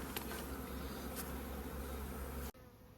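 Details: Western honey bee swarm buzzing at an apiary in May after rain, as the beekeeper leaves the bees; steady low droning hum with a few sharp knocks, ending abruptly into a quiet hiss after two and a half seconds.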